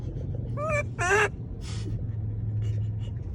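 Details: Monkey calling to people with two rapid harmonic squeals in quick succession, the second louder and longer with a wavering pitch, then a breathy noise and a low background hum.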